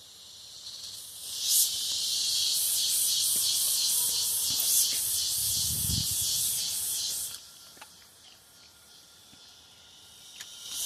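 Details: Cicadas in the Brazilian countryside: a high buzzing song pulsing in rapid regular beats, which stops abruptly after about seven seconds and leaves quieter background hiss, with a low thump midway.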